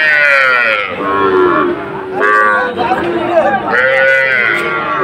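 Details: Sahiwal bull at a cattle market in Faridpur, Bangladesh, on 1 June 2024, giving loud, drawn-out harmonic moos of about a second each, three in a row, with crowd chatter behind.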